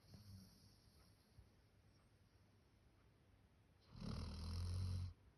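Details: Max, a male Labrador Retriever born 1 October 2019, snoring like a human: quiet, low breathing rumbles, then one loud, rasping snore near the end lasting about a second.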